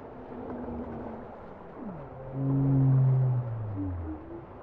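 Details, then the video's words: Bowhead whale singing: a short rising sweep, then a strong, sustained low moan with stacked harmonics that slowly falls in pitch as it fades. A steady underwater rumble runs beneath it. "Bowhead whale songs"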